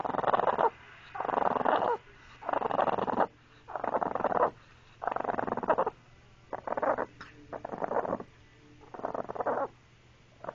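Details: Rhythmic growling from Maggie the pet dog: about eight short, rough bursts, each roughly a second apart, pulsing in and out like heavy breathing, softer and more regular than a continuous snarl.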